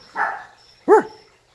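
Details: Fifty-day-old puppies, part of a pack of young dogs playfully mobbing a person: two short yappy barks about 0.7 seconds apart, the second higher and sharper, with a faint steady high tone in the background.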